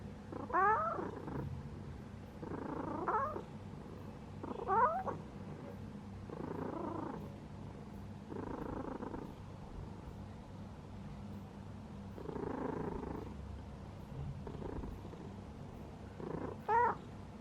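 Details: Domestic cat purring while asleep: low, rough pulsed bursts swelling with each breath every few seconds, over a steady low hum, broken by a few short, squeaky rising chirps.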